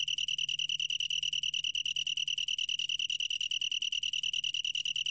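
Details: Insect song of the long-tailed tree cricket, Korea, 2020: a clean, high, steadily pulsed trill that keeps the same pitch and rhythm throughout, with a soft low hum in the background.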